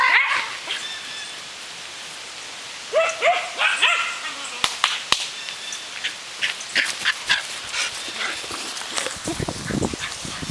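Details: Pyrenean Shepherds, a six-month-old brindle female and her fawn father, playing with a frisbee: a quick cluster of short, high yipping barks midway, then sharp clicks and thuds over steady background hiss.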